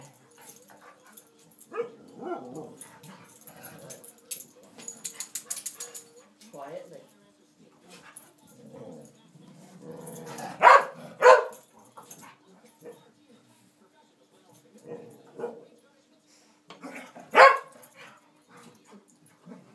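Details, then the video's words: Two pet dogs, Stewart and Cassie, vocalize while playing: short whiny, yelping bursts come in irregular spurts, with two sharp louder cries near the end, as a person repeatedly urges them to be quiet. "Dogs playing and singing"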